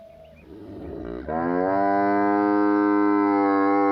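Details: Village buffalo, kept with cows, letting out a sustained, deep, even moo that swells after a second of quieter shuffling and holds steady to the end.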